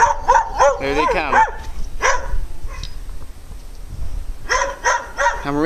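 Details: Dogs barking angrily at the person recording: a quick run of high, yelping barks, a pause where a man talks, then more sharp barks toward the end.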